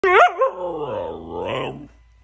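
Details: Pet Siberian Husky at home gives one drawn-out harmonic vocalisation of about two seconds, starting with a quick wavering yelp, sagging lower through the middle, then lifting briefly before trailing off.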